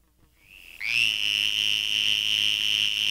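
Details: A small Western Green Toad (Anaxyrus debilis) gives its mating call to attract mates, a steady, high-pitched buzzing trill held without a break, heard first at normal speed and then slowed to half speed.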